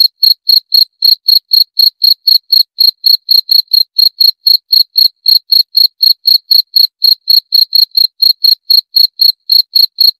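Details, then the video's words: Steady cricket calling: sharp, high-pitched chirps repeated roughly four per second without a break for ten seconds, each pulse ringing with a fainter upper tone, against complete quiet. "7 Menit Suara Jangkrik - 7 Minutes Cricket Sound Effect"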